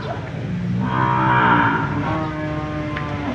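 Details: One bellowing moo from cattle at the Jonggol livestock market, about a second long, rises over a steady low hum of market noise.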